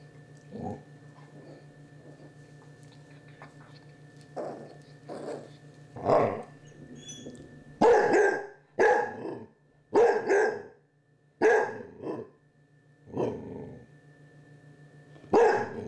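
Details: Indoors at Halloween, a basset hound puppy with a Chihuahua companion confronts a candy dish: soft early woofs build to a run of loud, rasping barks and growls, roughly ten in all, over a constant low hum.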